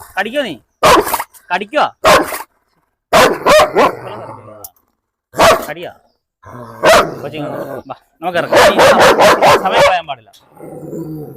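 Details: German Shepherd in a house in Perumbavoor, freed from its leash for a dog challenge. Frequent loud barks come in irregular volleys, with a fast run of barks near the end, interleaved with people talking.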